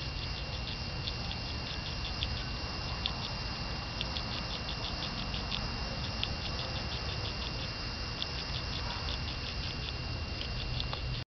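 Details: Caterpillar that will become a swallowtail butterfly, unusually audible while eating Dutchman's pipevine: a rapid, irregular run of faint dry ticks and crunches over steady background hiss and a thin constant whine.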